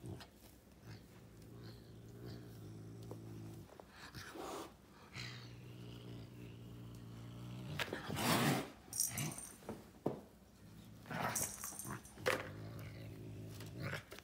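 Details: A caracal fighting a serval growls low and steadily, then breaks into sharp, explosive hisses and spits.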